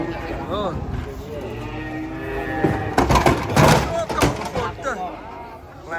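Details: Cattle unloaded off a truck: a short moo opens, then loud clattering and banging of hooves and metal with human voices mixed in, and bellows continuing under the noise.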